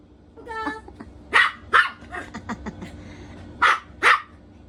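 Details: Poodle puppy barking during a game of hide and seek: two loud, sharp barks close together, a pause, then two more, with softer voices and rustling behind.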